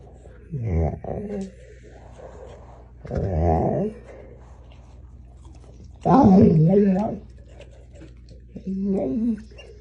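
An American Bully gives short, low, throaty growling grumbles in a few separate bursts.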